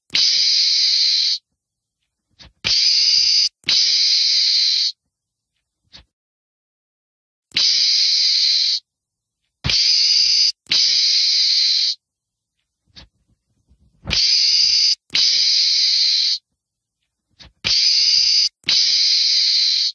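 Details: Meerkat screaming in loud, hoarse, hissing bursts of one to one and a half seconds, separated by silent gaps of a second or more, the bursts strikingly uniform in sound.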